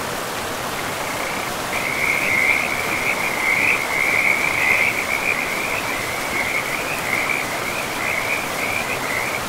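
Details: Frogs beside a river in a pristine forest, giving a continuous run of rapid, rattling croaks at a steady mid-high pitch over a broad, constant rush of flowing water.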